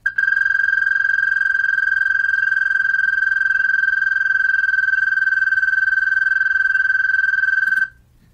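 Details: Isolated American toad from North Dakota giving its trill, higher, more melodic and longer than a Canadian toad's: one unbroken, high, musical buzzing tone held steadily for nearly eight seconds, then stopping abruptly.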